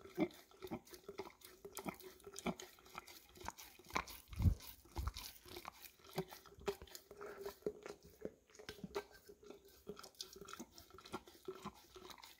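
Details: Golden Retriever of the English cream type working peanut butter out of a nearly empty jar, filmed with a Samsung Galaxy S10e; steady moist lapping clicks about twice a second, with an occasional louder knock of tongue or jar.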